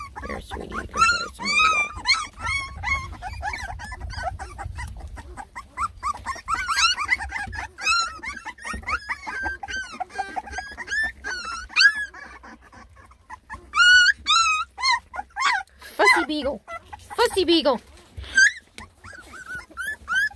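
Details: Several of ten Beagle puppies, lemon and tricolor, about three and a half weeks old, fuss while trying food for the first time: dense overlapping high arched whines and squeals, some yips, with low rumbling background noise.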